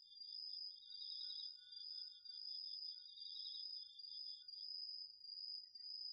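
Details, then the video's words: Autumn insects including crickets singing after dark in a garden field, captured on a DR-40X. A continuous piercing high trill holds steady while a second slightly lower buzzing trill runs alongside and drops out near the end; loudness pulses in slow waves. "秋の虫の声 ASMRでおやすみなさい 〜虫の音を枕元で聞いてね〜 こおろぎ他"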